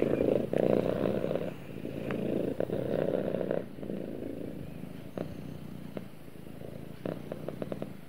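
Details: A cat snuggling with its owner gives a strong rumbling purr that softens after a few seconds into a quieter, thinner hum, with light rustles and taps.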